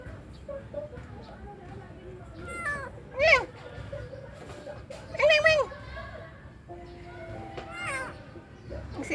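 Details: Wandering stray kitten on its first day, giving two loud, clear meows that rise then fall, about two seconds apart, with a fainter mew near the end and a person talking in Tagalog in the background.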